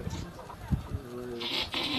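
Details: Boer goat doe giving birth to her kids with minimal human help on a farm; a short harmonic bleat rises near the end, with people talking quietly about an earlier birth.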